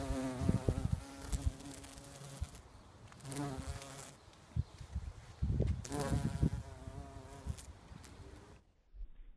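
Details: A very large bumblebee buzzing around agapanthus flowers: a deep, droning buzz that swells and fades in repeated bursts as it flies past.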